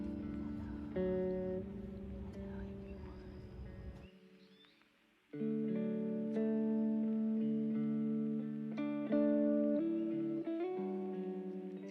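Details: Plucked guitar melody with sustained notes, pausing briefly before the strumming resumes.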